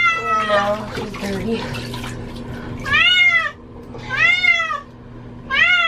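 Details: Cat being given a bath, which she hates: several arched, harmonic meows, each under a second, repeated roughly every one to one and a half seconds, after an opening stretch of speech and water noise.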